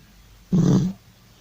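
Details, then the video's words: A single deep, buzzy snore lasting under half a second from Georgie, an old male cat sleeping soundly indoors, with quiet room tone around it. "An old cat Georgie is loudly snoring and probably chasing mice in his sleep"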